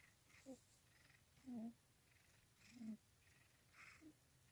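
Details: Cat purring while lying in its owner's lap, soft low rumbling bursts rising and falling with each breath, four pulses roughly every second and a quarter, close and quiet indoors.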